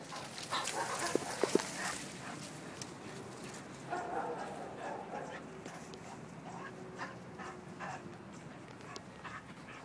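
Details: A Bull Terrier playing in Ecuador gives short, scattered yips and whimpering noises, with faint human voices nearby.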